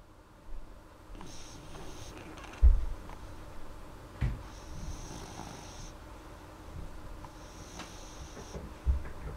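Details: Molly, a sleeping dog, breathing softly and not snoring very loudly: slow hissing breaths roughly every three seconds, low rumbles beneath, a few soft thumps.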